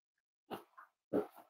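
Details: Cavalier King Charles Spaniel puppies snuggling indoors on a warm Friday morning, in a home raising emotional support animals; two short, soft whimpering grunts with a faint higher tone between them, quiet room.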